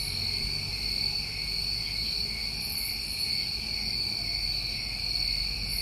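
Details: Crickets on a New England summer night trill continuously in a dense, high chorus, with faint higher flutters near the middle and the end.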